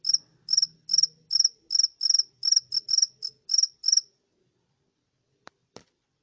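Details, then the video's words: Cricket indoors in a room, high shrill chirps repeated roughly every third of a second, about eleven in four seconds, then silence broken by two soft clicks. "A cricket in my room. This sound makes me sleepy"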